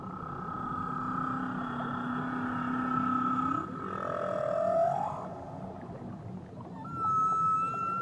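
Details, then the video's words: Whale singing in Tahitian waters: a deep, steady moan that bends upward into a higher rising wail, followed after a pause by a clear, level tonal note, all over soft underwater hiss. "Nature Sounds Only Whales & Beaches"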